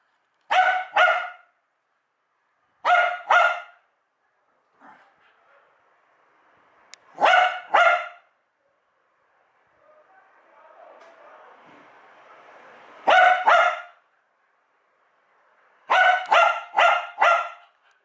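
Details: Domestic dog going wild at the sound of a USB device being plugged or unplugged, giving sharp ringing barks in quick bursts of two to four, separated by pauses of a few seconds, with a soft whine and rustling in between.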